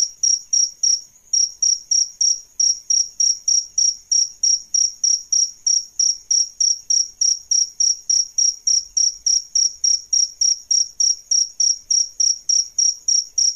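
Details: Adult crickets, male and female, offered as a model for training songbirds: a long, unbroken series of high, clear chirps, some 46 pulses at around three per second, clean and uniform.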